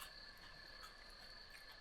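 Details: Crickets, called kuliglig, near a campsite in Baztan, Navarra, Spain: a continuous shrill trill at steady pitch with a lower second band, unbroken throughout, with light background rustle.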